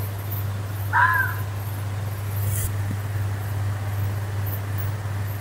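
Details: Fox screaming in the woods: a single short, harsh, hoarse cry near the start, then quiet, over a steady low hum.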